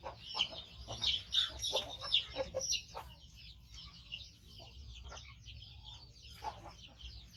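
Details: Five-month-old male baby monkey, rescued from a hunter and missing one foot, living with a human carer, calling loudly while waiting to be fed: shrill, high squealing cries in rapid bursts, strongest in the first three seconds, then fainter.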